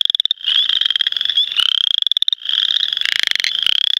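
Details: Western chorus frogs (Pseudacris triseriata) singing in the 2010 mating season: dense overlapping rapid pulsed trills, rising slightly, stacked one over another in a continuous high-pitched chorus with short gaps.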